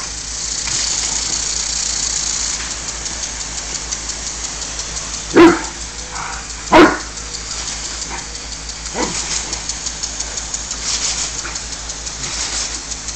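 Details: Ares, a pet dog playing with the water from a garden sprinkler, recorded on a Samsung Galaxy S phone: two loud, sharp barks close together mid-clip, a few fainter yelps around them, over a steady hiss of spraying water.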